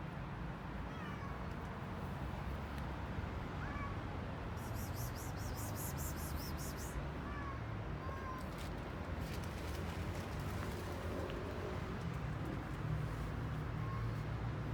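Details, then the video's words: Hungry stray street cats in Istanbul, Turkey, eating and meowing for food; short, faint rising meows come and go over a constant low rumble of city traffic, with a brief buzzing burst midway and occasional voices. "Hungry Street Cats Eating And Making Funny Noises At The Same Time"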